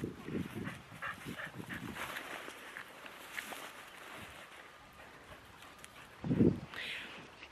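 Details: Staffordshire Bull Terrier outdoors on a cold, wet Saturday of dog sport, coated after a tug match; one short, loud, low bark rings out near the end, after stretches of talking and quiet open-air ambience.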